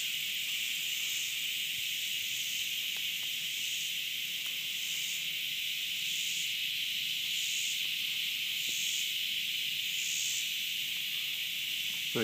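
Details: Cicada recorded on 30 August 2013 drones in a steady, high, hissing buzz, with a sharper pulse pulsing through it about once a second.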